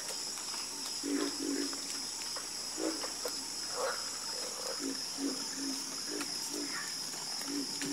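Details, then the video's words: Frogs croaking in chorus: deep, rounded croaks, some doubled, answer one another at uneven intervals. A bright, unbroken insect hum sits high above them. "Calming Sound Of Harmonious Frog Croaking"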